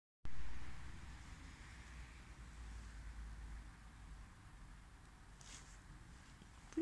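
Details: Quiet night outdoors with low distant traffic rumble, faint wind and a brief rustle near the end; no animal calls heard.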